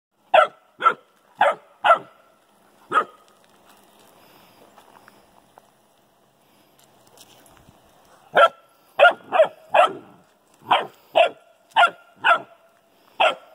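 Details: Household setting with a Newfoundland puppy and an old golden retriever: a quick run of five sharp barks, a quiet pause, then a second burst of about nine rapid barks, with faint rustling between.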